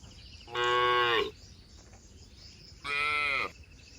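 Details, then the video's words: {'caption': 'Herded cattle being driven through forest toward their shed, jumping happily; two harmonic, steady moos, the first about 0.8 seconds long and the second shorter, separated by a quiet pause.'} "Suara sapi moo"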